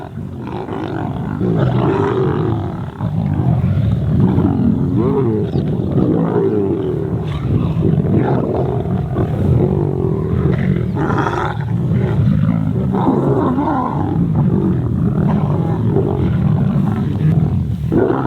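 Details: Young lions of the Kambula Pride growl low and rumbling while feeding on an impala carcass in open grassland, the bigger females settled off to the side; continuous deep growls with music playing throughout.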